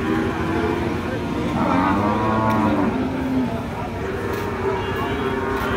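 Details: A big cow at the Paranpur cattle market gives a drawn-out low moo, its stacked harmonics rising and falling over about a second and a half, amid crowd chatter and background music.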